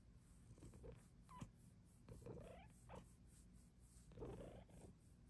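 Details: Female Bengal cat asking for more petting indoors: brief, soft, rising meow-like sounds near the middle and end, over a continuous low purr, with light handling noises and a woman's voice speaking to her between clips.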